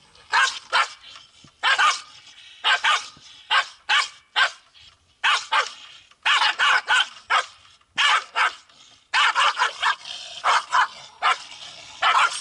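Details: In South Korea, Pungsan dogs quarrel over home turf with a steady run of hard, rasping barks, often doubled or tripled, continuing almost without letup.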